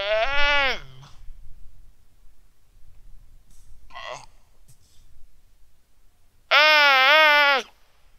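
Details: On Antarctica's Terre Adélie ice shelf, a Weddell seal pup calls for its mother, sunny quiet afternoon, 15 November 2009, Rode NT4 microphone. A bleating, wavering call opens, a faint rasp follows midway, and a loud, long quavering cry ends it.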